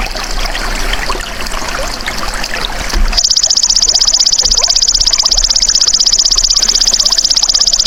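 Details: Belalang emas, the golden grasshopper, recorded as a tutor sound for caged songbirds: a faint high buzz over watery trickling background, then a loud, evenly pulsed metallic trill switches on at three seconds and runs to the end.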